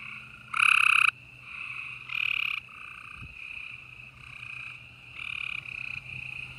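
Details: Gray treefrogs trilling at night in Houston, Texas, April 2020; one loud close trill, then a few weaker trills from other frogs over a continuous faint chorus and a low background hum.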